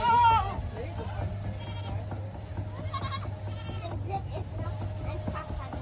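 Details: Goats in a barn with a Schurr Gerätebau automatic two-brush goat system; a wavering bleat opens the clip, followed by further short bleats over a constant machine hum and background chatter.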